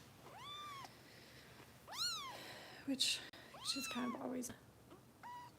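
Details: Kitten Harper, a foster being bottle-fed by Kitten Rescue volunteers in Los Angeles, lets out several strong, bowed meows in quick succession, the last one short and clipped, with brief rustling and a murmured voice between calls.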